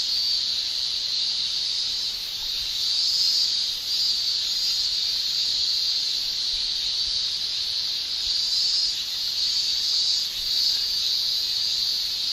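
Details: Shrilling of male cicadas in Japanese summer, a loud, unbroken high-pitched buzz from tymbals with brief dips in volume near four seconds and small surges throughout.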